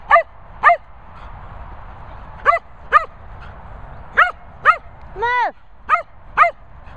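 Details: Daisy and Piper, two Cocker Spaniels, whizzing with short, sharp, harmonic-rich yips in pairs, pausing between bursts. One longer, arching whine rises and falls near the end, over a quiet steady background.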